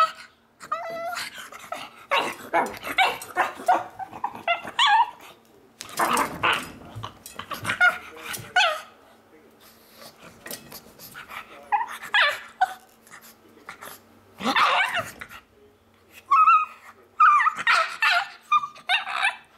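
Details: Pug named Miles producing his monkey noises, a run of choppy, grunting growls and short yelping squeals in uneven bursts, with a voice heard briefly between them.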